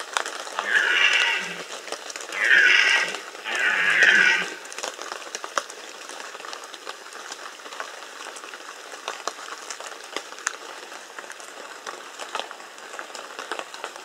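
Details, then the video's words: Bieszczady red deer in the 2015 rut giving a burst of three hoarse roars in the first four seconds, each a rough groaning bellow, then ten seconds of crackling rain-like background with no further calls. "Rykowisko 2015 Bieszczady - Red Deer rut"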